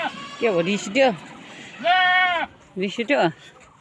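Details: Boer goats at a Nepalese breeding farm: a short wavering bleat, then a long, loud, trembling one, followed by two quick clipped bleats.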